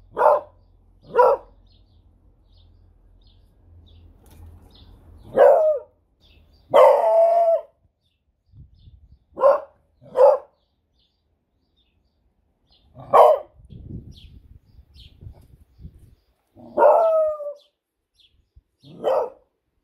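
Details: Female beagle barking on command for a treat, giving short sharp barks and a few longer howling barks at irregular intervals, with a woman's voice repeatedly saying 'speak' and praising her in between.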